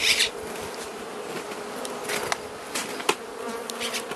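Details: Carniolan honey bee colony and queen during Mountain Camp feeding, southern Finland, 16 March 2017, +3 C outdoors; a short loud burst opens, then a constant low hive drone with soft clicks and rustles.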